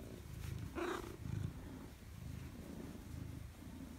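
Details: Maine Coon cat at home greeting its owner, 4 December 2019: low rumbling purr broken by one short, brighter voiced chirp near the start, then the purring resumes in breathing pulses.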